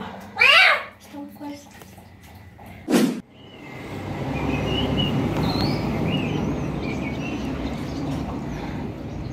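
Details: Street cat bathed for the first time, cared for and washed carefully: one loud, drawn-out meow near the start and a shorter, softer cry after it. A sharp knock follows, then steady rushing noise fills the rest.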